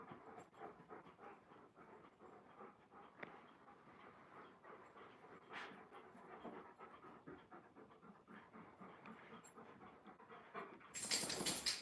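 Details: Alaskan Malamutes indoors at home, rolling around and wrestling: quick, soft, rhythmic panting breaths run steadily for about eleven seconds, ending in a sudden loud broadband rustle.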